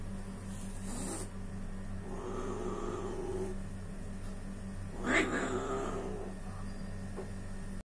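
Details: A cat attacking kittens gives a low, wavering growl of about a second and a half, then a harsh, noisy hissing yowl rises later. A constant low mechanical hum runs underneath throughout.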